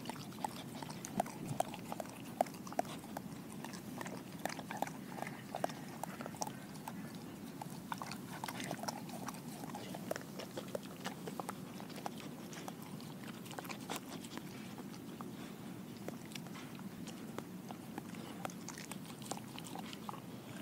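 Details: A German Shepherd mix eating a whole raw Cornish hen indoors: steady wet chewing, crunching and tearing of bone and flesh, with irregular clicks and knocks throughout and no barking or vocal calls.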